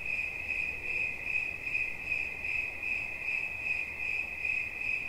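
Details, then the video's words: A cricket sings a clear, shrill pulsed trill, beats coming quickly and evenly, loudness swelling slightly in waves; relaxation sounds with little else audible. "Świerszcz. Dźwięki relaksacyjne"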